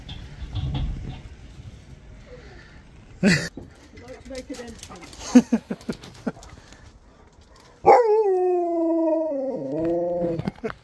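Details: Siberian Husky indoors at Christmas, calling on its best friend: after scattered talk, laughter and thumps, a loud drawn-out howl starts high, slides down in steps and holds a wavering lower tone for about three seconds.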